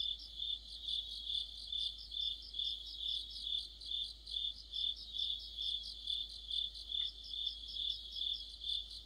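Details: Autumn chorus of crickets with other insects: a steady high ringing tone with pulsed chirps layered above it, swelling about twice per second in an even rhythm, with no other clear sounds.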